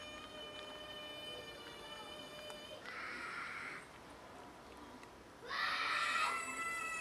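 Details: Pet cats wanting food and trying to tell their owner something: a steady tonal hum, then two loud, bright meows, the second longer and stronger, with faint indoor background noise.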